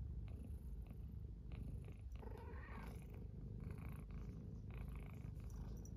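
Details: Low, continuous rumbling purr from a pet cat lying beside an oil heater with a companion cat on a cold morning, greeted on waking; a faint soft vocal note rises briefly midway.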